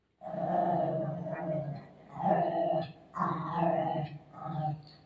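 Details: Milo, a golden retriever, playing with his mom at home: four drawn-out, whining growls with a bright, harmonic tone. Each lasts about a second and they come in close succession with short breaks between them.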